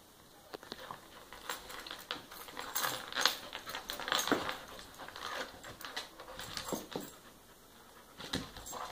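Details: A three-year-old pit bull and an eight-month-old dachshund puppy playing together: scattered short broadband bursts and soft whimpering noises come in irregular spurts, with quiet gaps between them.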